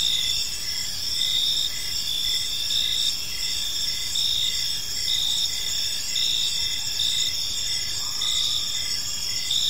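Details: Several crickets singing in a park during the evening, an unbroken piercing high-pitched buzz with fast, even chirp pulses running throughout and quiet, diffuse ambient noise underneath.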